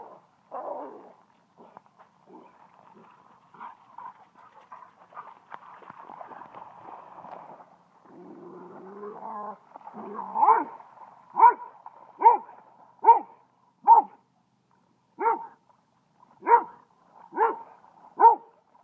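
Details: At a dog park, Kaido, a young dog new to inviting other dogs to play, tries to start a chase game with a yellow lab. Soft grumbles give way to a run of sharp, evenly spaced barks about every second.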